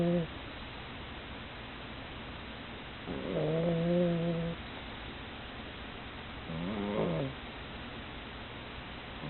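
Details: Sleeping female pug tired after playing, snoring: a long, drawn-out, whistling nasal snore lasting over a second, then a shorter wavering one about three seconds later, both low-pitched with a buzzy tone, steady hiss behind.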